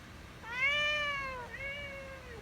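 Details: Pet cat giving one long, clear meow that rises and then slowly falls, followed straight away by a shorter, softer second meow. Quiet indoor background.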